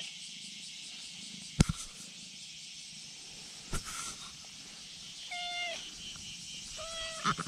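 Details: Brown tabby-and-white cat calling from a precarious spot above a slope, asking to be petted: two clear, short meows late on, each falling slightly at the end, over a steady high insect drone and a couple of sharp knocks.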